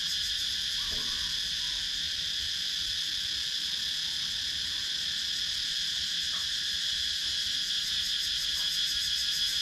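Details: Countryside woodland in Sakon Nakhon, Thailand, filled with cicadas, captured on a GoPro Hero 9: continuous shimmering high buzz, evenly sustained, with faint rapid pulsation and a few soft ticks beneath.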